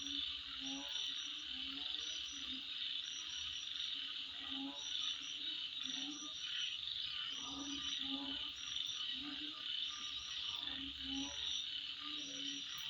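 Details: Insects heard at midnight, producing a constant shrill buzzing hum, with bursts of brief higher chirps and deeper rhythmic pulsing calls repeating through the background.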